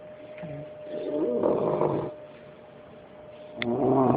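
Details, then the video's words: Bullet, a five-month-old Bulldog puppy, sleeping: a raspy, rattling snore swells in the middle, fades to quiet breathing, then a second throaty snore begins near the end over a steady low hum. "Bullet the Bulldog snoring at 5 months old."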